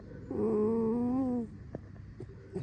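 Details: Fox named Alice gives a single drawn-out squeaky whine lasting about a second, rich in harmonics, holding steady then rising slightly before cutting off; faint clicks and soft background hum follow.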